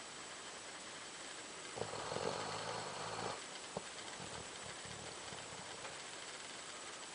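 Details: Sleeping Doberman gives a single harsh, grating snore of about one and a half seconds, with a low throaty rattle, followed by a soft click and faint breathing noise.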